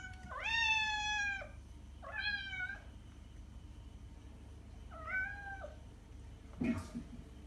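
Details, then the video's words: Cat meowing to attract cats: three clear harmonic meows, the first longest and loudest, each falling at its end, followed by a sharp click near the close, with steady low hum. "miauende katze sound um die Katzen anzulocken"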